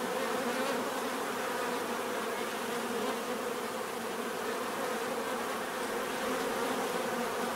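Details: Bees in a constant buzzing chorus, a full droning hum with faintly pulsing texture and no breaks.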